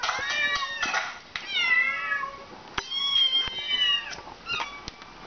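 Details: Indoors, Tippy the house cat answers kittens on a laptop that are crying for food. Several bright, drawn-out mews overlap in quick succession, some gliding downward, with brief clicks between them.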